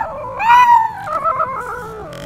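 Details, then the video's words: Yorkshire Terrier and Maltese cross puppy vocalising as if saying "I love you": a brief howl-like moan that swells and falls, then a softer wavering drawn-out tone. "Adorable Yorky & Maltese Puppy Talks!"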